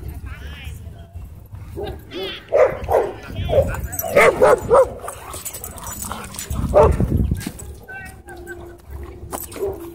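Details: Dog fight at a dog park where a small white dog launches at and bites a German Shepherd; quick bursts of yelping barks in clusters, with human voices and background murmur.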